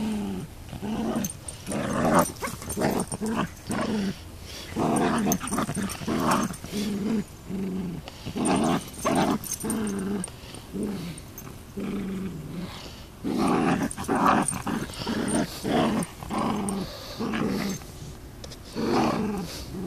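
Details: Beagle and Miniature Long Haired Dachshund in a playful tug of war over a toy duck, giving repeated throaty growls in pulsing bursts with occasional yips amid the scuffling.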